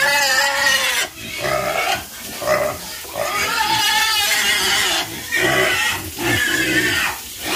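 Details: Farm pigs giving loud, high squeals in overlapping bursts of about a second each, separated by short gaps. The squeals have a harsh, strained tone, with some rising and falling in pitch.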